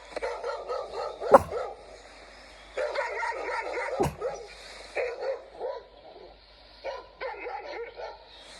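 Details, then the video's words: Dog giving hoarse, cough-like barks mixed with wavering, whiny yelps in irregular bursts, with a couple of sharp clicks or knocks in between. "It sounds more like a cough than a bark!"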